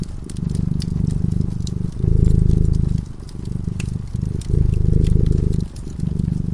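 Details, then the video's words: Low, vibrating purr from a cat dozing before a crackling fire, rising and falling in swells of about a second, quieter gaps between breaths, and snapping crackles from the flames. "Purring cat"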